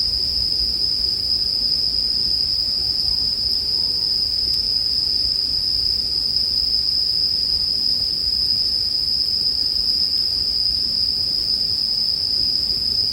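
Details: High, constant ringing trill of bell crickets dominates, with quiet crackles from a campfire beneath.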